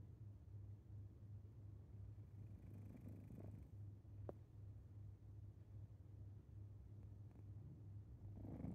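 A Maine Coon cat breathes noisily in its sleep. The sound is a low, continuous rumble that pulses evenly like a purr, with a faint click partway through.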